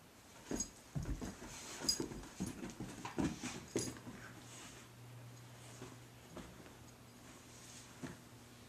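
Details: Mickey the dog playing with Blacky, his favourite toy: a run of short, uneven snuffling and huffing bursts for about four seconds, then a low, steady droning whine trailing off, with faint rustling.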